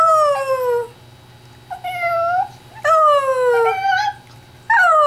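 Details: Pet Chihuahua howling indoors, prompted by its owner; loud sliding howls falling in pitch, four phrases each under a second, with rich harmonics and brief pauses between.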